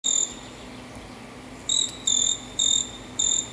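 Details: Presented as the song of a "caçula" bird but identified as a cricket, four pure, high, trilled chirps, each about a third of a second long and roughly half a second apart, sound over a faint low hum.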